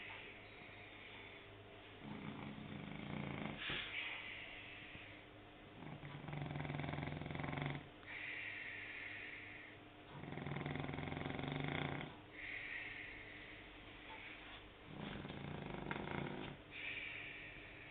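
A French Bulldog snores loudly, each rasping breath rattling for about two seconds before a pause.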